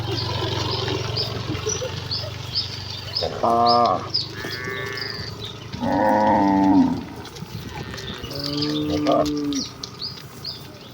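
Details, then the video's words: Village cattle herd running excitedly toward the pen; several deep, drawn-out moos with rich harmonics, about one every two seconds in the middle stretch, over constant chirping of small birds and low rural rumble. "Kawanan sapi lembu yang berlarian menuju kandang dengan kegiranganan dengan suara moo khas sapi desa"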